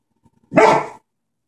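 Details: German Shepherd seeing his reflection in a mirror gives one loud, harsh bark lasting about half a second, preceded by faint soft huffs.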